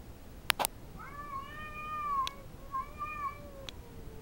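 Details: Domestic cat, female, yowling territorially at an intruding cat in the backyard: long drawn-out wavering tonal howls with rising and falling pitch, two extended phrases, a few sharp clicks and knocks between.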